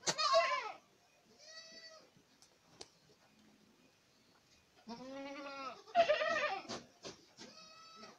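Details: Boer goats at Acatlán de Osorio, Puebla, bleating: several loud, harmonic, quavering bleats, one opening burst, then a deep drawn-out call and a cluster of overlapping cries from more than one animal.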